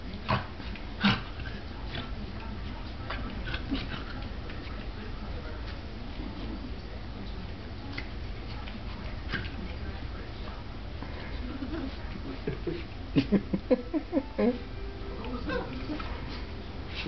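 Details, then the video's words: Two dachshunds playing, a younger female roughhousing with her older brother: low rumbling growls and grumbles through most of the stretch, then a quick burst of sharp yips and whines near the end, with a person talking to the dogs throughout. "Dachshunds Playing"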